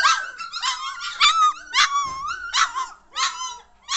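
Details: German Shorthaired Pointer pups, three weeks old, getting lively; quick high-pitched yelps and wavering whines tumble over each other in short bursts across four seconds, several puppies calling together.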